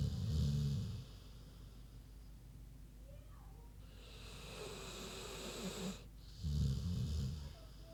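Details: Queenie, a big pig, snoring while asleep: deep rumbling low snores alternate with long airy breathy hisses on the inhale, roughly one snore-breath cycle every five to six seconds.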